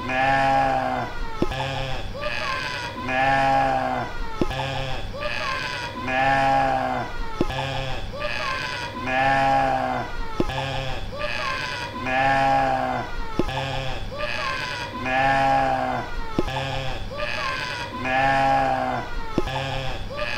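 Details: Mouflon bleats, a drawn-out nasal wavering bleat repeated about every three seconds in a steady looping pattern, with short clicks between calls and no other clear sounds.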